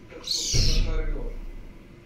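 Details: A caracal kitten gives a single high, bird-like chirp.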